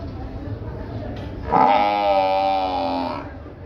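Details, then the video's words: Water buffalo at the buffalo market in Gabtoli, Dhaka, giving one long, steady, nasal bellow of about two seconds over continuous crowd noise. "Beautiful Buffalo sound"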